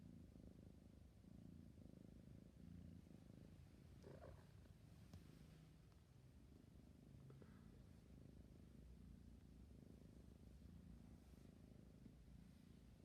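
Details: Purring from a sleepy kitten: a deep, buzzy, continuous rumble rising and falling with each breath, interrupted briefly by soft rustling around four to five seconds.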